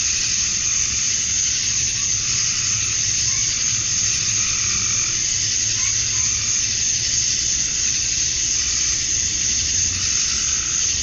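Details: Cicadas at dusk on a Georgia summer night, males calling for females: a continuous sizzling high drone that throbs slightly, with brief faint tones and a low background hum.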